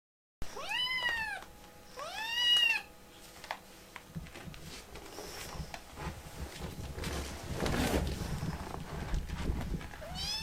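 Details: Rescued baby kitten in foster care, firmly refusing to be cuddled, gives two loud, rising-then-falling meows in quick succession, then a faint rustle of handling and a third meow starting at the very end.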